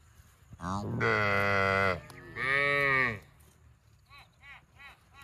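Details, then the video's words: Cattle lowing in two long, loud, strongly harmonic moos back to back, the second slightly shorter, followed by a string of short, faint arched calls trailing off at the end. "Funny cow sound video"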